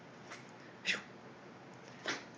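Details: Boston Terrier named Jack making funny noises indoors in a small room: two short, breathy, sneeze-like snorts about a second apart, sharp and airy bursts, with a fainter puff near the start and quiet room hum between.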